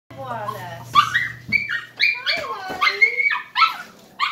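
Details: Miniature Schnauzer crying and happy while greeting a returning person after two hours away; high whiny whimpers with rising and falling pitch, broken into short bursts, a low steady hum underneath at the start.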